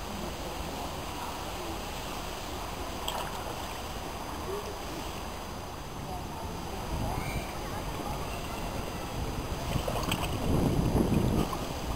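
Steady low rumble of water and wind with faint murmuring voices, and no animal call stands out.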